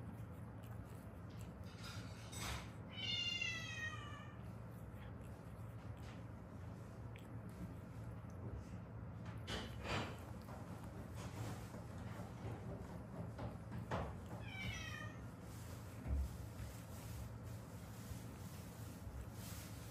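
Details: Rescued stray cat, one of a mother and daughter from Haeundae, uttering two drawn-out falling meows about twelve seconds apart, over constant low hum with occasional knocks and rustles.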